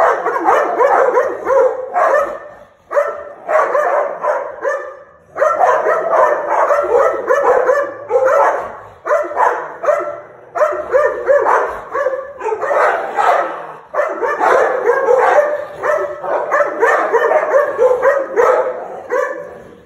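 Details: An American Pit Bull Terrier snarls in harsh, throaty bursts broken by brief pauses, recorded September 27, 2019.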